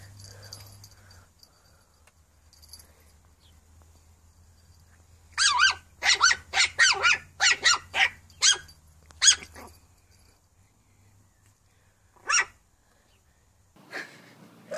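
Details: A puppy gives a rapid run of about nine high, yappy barks in quick succession after several quiet seconds, then a lone bark and a faint low growl near the end, over a low steady hum.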